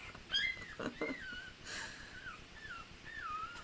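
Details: A pet puppy squeals indoors in the background during a live session. Several thin, high whines slide downward across the few seconds, with a sharper yelp near the start, over quiet room noise.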